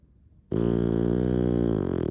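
An English bulldog snores with one long, deep, rattling breath after a moment of quiet.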